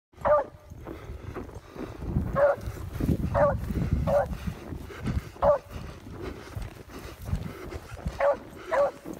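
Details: Old female beagle, set off by the scent of a fox, gives short, ringing barks and yelps, about seven across nine seconds at irregular gaps, over steady low rumbling background noise.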